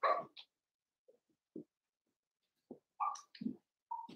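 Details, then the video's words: Cavalier King Charles Spaniel puppies playing indoors in a home puppy pen; short scattered yelps and whimpering squeaks in brief bursts separated by silences, a few higher-pitched squeals near the end. "Cavalier Puppies Live: Puppies Playing"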